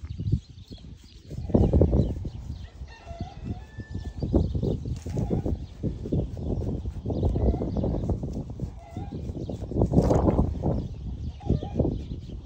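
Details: Young wild boar, one of a cuddly pair kept by people, one of them recovering from a stomach upset; loud, continuous low grunting and snuffling in rapid irregular bursts for about eleven seconds, with brief faint whistles behind.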